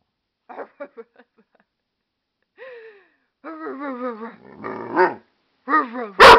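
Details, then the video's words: Wolf, an amstaff and pit bull mix, answers its owner with a few short yips, then long wavering whining moans that rise and fall, ending in a loud harsh bark; a human voice may be mixed in. "weird amstaff noises"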